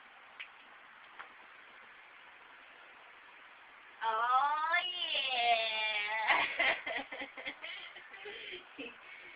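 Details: Selena, an old pet cat, playing fetch with a tin-foil ball indoors: after a quiet start, a long drawn-out meow rises and holds for about two seconds, then breaks into shorter choppy sounds in a small room.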